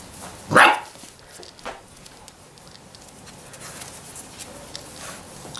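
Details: Six-week-old Labrador Retriever puppies: a single sharp, loud yelp near the start, then near-quiet with faint rustling, and another yelp cut off at the very end.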